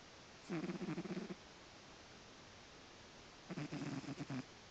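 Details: Sleeping domestic cat snoring: two bursts of rapid, rattling pulses, each lasting under a second, separated by about two seconds of quiet hiss.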